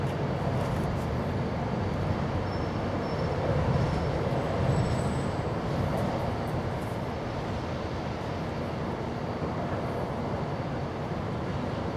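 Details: A dense, continuous low-pitched rumble like a train or heavy traffic fills the whole stretch. No animal calls stand out above the noise.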